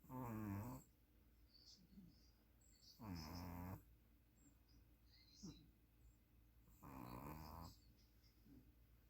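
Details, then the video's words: A sleeping puppy snores in three strong, buzzy bursts a few seconds apart, with softer breathy snuffles and a small click between them. "SNORING PUPPY"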